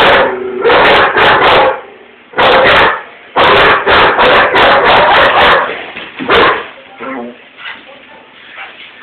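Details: Window-watching German Shepherd barks at something outside, joined by a Rottweiler he turns to chase off; clusters of sharp barks that thin to quieter scattered yelps near the end.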